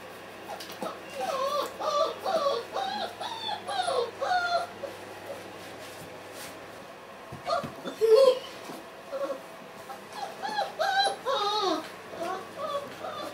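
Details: Weimaraner puppies, 30 days old, from the Kiss and Quest litter, indoors: high, wavering whimpers and whines in repeated bursts around a second long, several pups overlapping, with brief pauses and a louder yelp near the middle.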